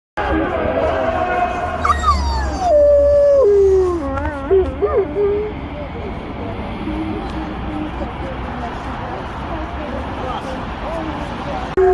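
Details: Dog howling on hearing the call to prayer: a long sliding wail that falls and wavers, then breaks into short wobbling notes, over steady low hum and background noise.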